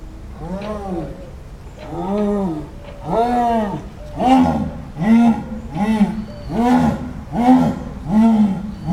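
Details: Wild jaguar, Panthera onca, roaring: a rapid series of about ten harsh, arched, grunting calls repeated roughly every 0.8 seconds, swelling louder partway through.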